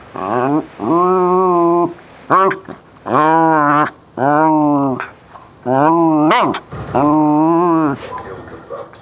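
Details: Bailey, a West Highland White Terrier, talking while playing ball: six drawn-out, moaning, harmonic vocal notes about a second each, some bending up and down in pitch, separated by short pauses.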